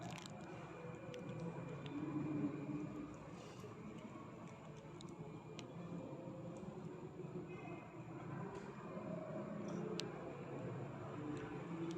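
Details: Quiet indoor room noise with a low steady hum, faint murmuring and a few soft clicks; no clear animal sound is heard.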